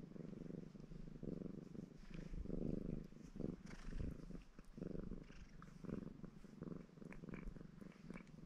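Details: Red Maine Coon tomcat named Baron in a purring mood as he grooms himself; low throbbing purr swelling and fading in rhythmic breaths, with soft licking and small rustles.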